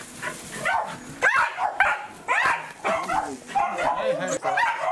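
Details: Welsh corgi Roku greeting its breeder in a happy commotion, 4 August 2019: sharp, rising yelps and whimpers in uneven bursts nearly twice a second, with human talk mixed in.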